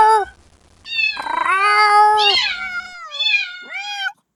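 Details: A young kitten cries for its mother. A brief mew is followed by a long, loud, wavering wail, then two shorter meows that slide downward. The kitten's voice is clear and harmonically rich, over a faint background hum.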